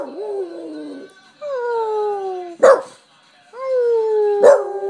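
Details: Gus, a Boston Terrier taught to sing, sings in long, wavering howls that slide downward, broken by sharp yips, while his owner encourages him.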